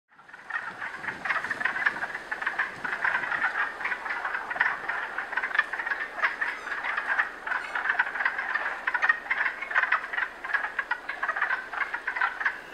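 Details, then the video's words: A chorus of wood frogs in Canada gives dense, duck-like clucking calls during the breeding season. "Breeding season of the Wood Frog"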